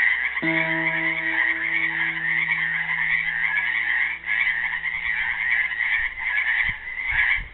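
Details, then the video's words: Frogs trapped in a Helix, Oregon pool sing a loud, rolling trilled chorus on Earth Day 2016; one guitar chord rings out early and fades, and a few soft thumps follow later. "GUITAR AND FROGS SINGING"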